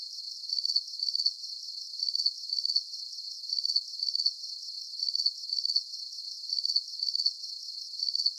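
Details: Relaxing cricket chorus for deep sleep: bright, high-pitched pulsed chirps come in regular bursts about twice a second over a thin, hissy background, with no birds, water or voices.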